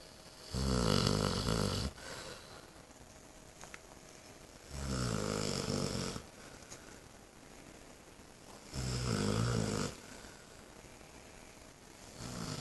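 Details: Saint Bernard, eight months old, fast asleep after returning home from spay surgery; loud, low, rattling snores arrive regularly about every four seconds, each lasting over a second, with hushed breathing between, in a small quiet room.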